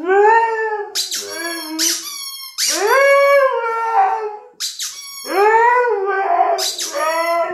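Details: Siberian Husky howling along with the sound of a toy chicken; loud squeaks from the rubber toy trigger rising, quavering howls, roughly every few seconds, with the toy and dog overlapping.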